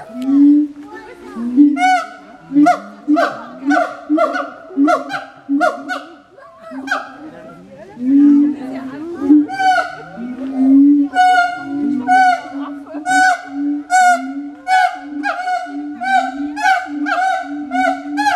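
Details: Captive siamangs at the Berlin Zoological Garden calling loudly, a dense run of short barking notes repeated roughly twice a second, with some longer sliding notes midway, growing more regular toward the end.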